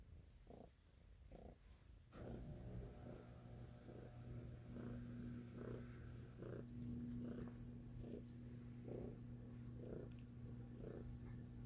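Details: Loud purring from Stella the cat, a soft low rumble pulsing with her breathing about once a second, accompanied by a steady electrical hum and a faint higher tone in the room.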